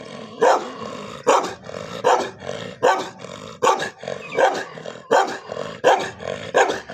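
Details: Domestic pet dogs in a fight with one another, giving a rapid series of loud, rough barks nearly every 0.8 seconds, with continuous snarling and growling filling the gaps.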